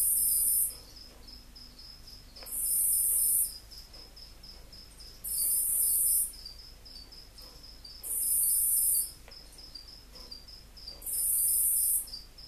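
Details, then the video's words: Angry dragon-headed katydid (Eumegalodon or Lesina): loud hissing, very high-pitched buzzy bursts lasting about a second, repeated roughly every two and a half seconds, over a steady thin high whine. "Angry Dragon Head Katydid"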